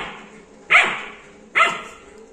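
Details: Labrador Retriever puppy, 61 days old, likely called Julie, gives two short, sharp, high-pitched barks with bright overtones, spaced under a second apart, over a steady faint background hiss.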